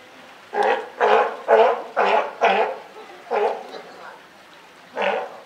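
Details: Mother California sea lion with newly born pup at Higashiyama Zoo and Botanical Gardens, Wednesday 28 June 2023. Loud, gravelly barks roll out in a rapid string of five, then two slower ones after a pause.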